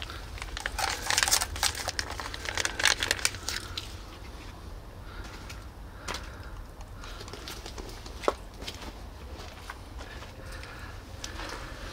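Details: Rapid crinkling and crackling, like plastic being handled, over a low rumble, with no animal call.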